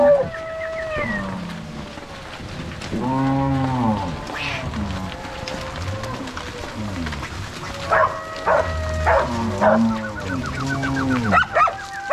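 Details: Angus-Nelore crossbred cows lowing as three cowboys and six dogs drive the herd from corral to pasture in Ortigueira, Paraná, Brazil, on 16 March 2022. Deep, repeated moos come in bursts, mixed with higher whistled or shouted calls.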